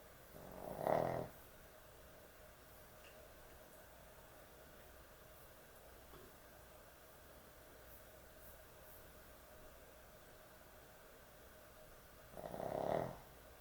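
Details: Sleeping dog snoring heavily at bedtime: two rasping, low snores about twelve seconds apart, each lasting under a second, with near silence and a faint steady hum between them.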